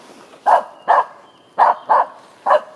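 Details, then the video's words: Aamu Tähti, a four-year-old female Finnish Spitz in heat, barks after finding a squirrel in the Sisjön nature reserve outside Göteborg, Sweden, early morning on April 17, 2020. Five sharp, short barks come in quick, uneven bursts over about two seconds. "Finnish Spitz finds squirrel"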